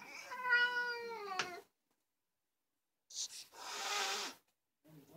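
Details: Fuzzy black house cat, described as very vocal, gives one harmonic meow lasting over a second, then after a pause a sharp breathy hiss, followed by a faint low murmur.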